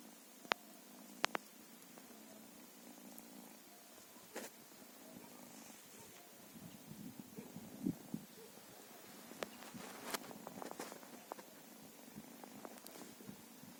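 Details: Feral cat purring, a soft low steady rumble running under the whole stretch, broken by scattered sharp clicks and light taps nearby.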